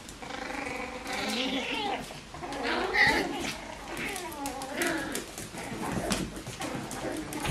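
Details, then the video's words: Bichon Frisé puppies of the O and P litters at Vejles Lille Kennel give a run of high, wavering whines and squeals. The thin harmonic cries overlap and rise and fall throughout, with soft background voices. "Bichon Frisé hvalpe O & P"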